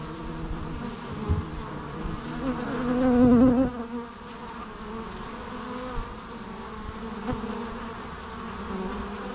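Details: Natural bee sounds: a continuous low buzzing drone, rising to a loud close fly-by at about three seconds that fades into a softer, steady hum.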